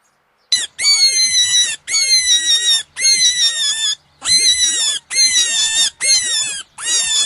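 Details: Cat giving a run of six long, high, wavering meows, each about a second long with only short pauses between them, loud and clear against a silent background.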